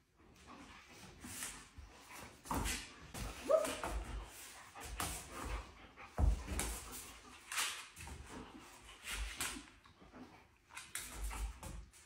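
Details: Kim, a happy female German Shepherd puppy, gives short broadband barks and yelps at uneven intervals, with clattering, knocks and some speech in a room.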